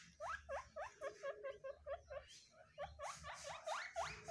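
Guinea pigs give a rapid run of high, squeaky notes, several each second.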